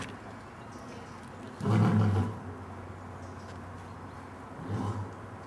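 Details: Adult lion in Dortmund Zoo, Germany, autumn 2009, during a brief roaring concert by the parents of three playing cubs; one strong low grunt, then a fainter echoing grunt three seconds later over quiet background.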